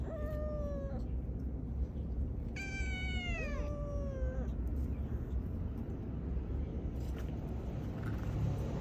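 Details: Stray cats, brothers living outdoors, giving drawn-out meows: one short falling cry, then a longer wavering meow that bends downward, over a steady roar of traffic.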